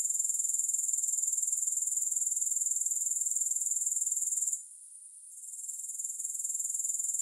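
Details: Grasshoppers give a bright, hissing trill at a very high pitch, evenly pulsed around four times per second. Partway through, the chorus dips abruptly and then gradually swells back. No music accompanies them.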